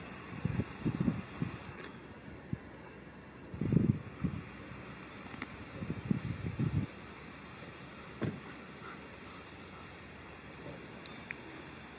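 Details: Low thuds, shuffling and faint vehicle-like rumbling with a couple of sharp knocks, no animal voice.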